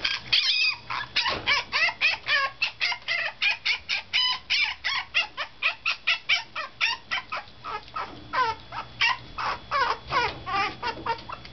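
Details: Toy Poodle puppy wailing loudly on its fifth day in a new home, watched by an older resident dog: a long, relentless run of high, yelping cries, about three per second, with bending pitch, indoors.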